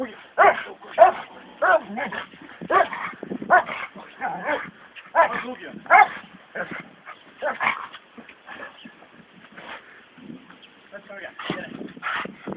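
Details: Brunó and Shába, two American Staffordshire Terriers in training, give rapid clustered barks and yips, dense at first, then thinning to sparse barks, mixed with human talk.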